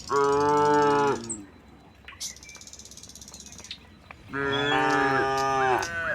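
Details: Dozens of tame cattle walking out of the barn toward a wide green pasture, calling back and forth: two long, deep, richly harmonic moos, each lasting over a second, separated by a quiet gap with faint chirping.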